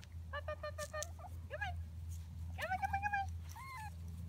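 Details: Seven-week-old Schnauzer puppies just back from vet check-ups, two neutered males among them, giving high, thin whines and yelps, some rising then falling, in uneven bursts over a steady low hum.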